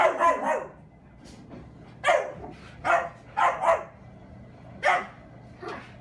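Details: German Shepherd named Skottke playing indoors with a new puppy brother; short sharp barks come in bursts, first a cluster, then single and paired barks about once a second, separated by quiet gaps.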